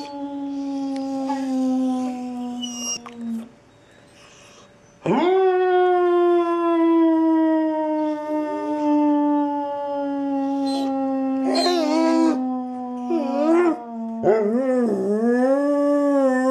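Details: Labrador Retriever, a fully grown 60-pound male up for adoption from foster care, howling in long sustained tones that waver and bend, with short breaks and a few rising, wobbling yodel-like phrases near the end.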